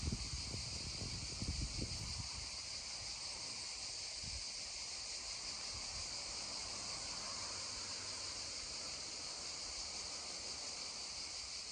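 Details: Cicadas droning beside a babbling stream: a steady, unbroken high-pitched buzzing hiss holds throughout, while low rushing and knocking water sounds come and go during the first few seconds and then fade beneath the insect chorus.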